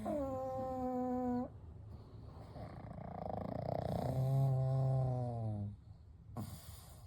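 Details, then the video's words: Three pet pugs, Kou, Gen and Shun, sleeping together at night: a drawn-out nasal whine with a steady pitch, then a rough, noisy stretch, then a deep harmonic snore that ends in a short snort. "パグと眠る夜｜A Night with Sleeping Pugs - Gentle Snoring & Breathing"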